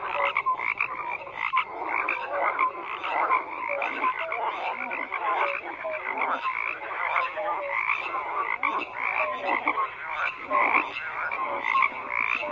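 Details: A thick frog chorus of overlapping croaks, with grating pulsed calls and brief clear notes piling up steadily throughout, and the level hardly dropping.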